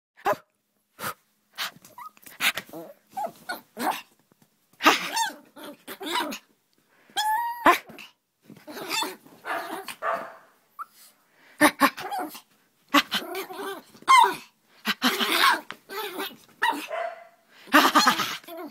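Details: Hyper female puppy named Aria playing indoors with her owner: scattered sharp barks and rough growls in quick irregular bursts, mixed with scuffling and some human voice.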